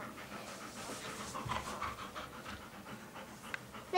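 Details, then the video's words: Irish Setter puppies recorded on 16 April 2011, giving quiet, breathy panting in quick rhythmic bursts of soft broadband huffs that run steadily through the clip, with a sharp knock at the end. "irish setter puppies"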